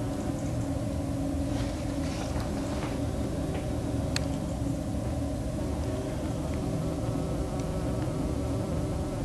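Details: Buff-tailed bumblebee working an unidentified flower at Talamanca, Barcelona, on 2 January 2016, giving a steady, continuous low drone with stacked harmonic bands, unbroken throughout, over a rumbling background.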